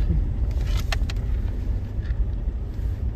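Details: Deep engine rumble and wind noise dominate beside a highway, with a few brief knocks.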